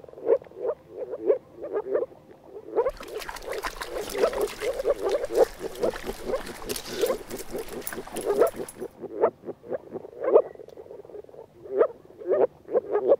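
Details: Male moor frogs (Rana arvalis), which turn blue in warm mating-season weather and call all day, give soft, muffled, bubbling 'wog-wog' calls in quick overlapping series in a small pond, a courtship chorus while grabbing at potential female partners.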